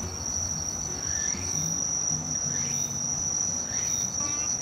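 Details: A Walker's cicada (tsukutsukuboushi, Meimuna opalifera), a late-summer to early-autumn species, sings a high, shrill, steadily pulsing buzz that carries on without a break.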